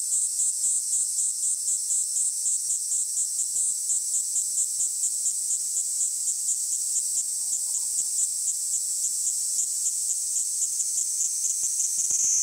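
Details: High, insistent cicada buzz from a Kaempfer cicada, pulsing lightly at first then smoothing into an even drone, with a few soft ticks near the end.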